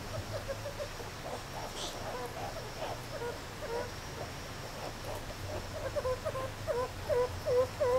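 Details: Meerkats playing and relaxing at Zoo Rostock, Germany, in July 2014: soft, scattered chirps at first, then a quick run of short, upward-bending squeaky chirps over the final two seconds, with a steady low hum behind.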